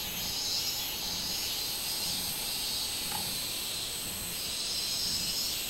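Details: Robust cicada (minminzemi) recorded on 24 July 2016: a dense, shrill high buzz with a steady, slightly throbbing pulse through the whole stretch, plus a faint brief chirp near the middle.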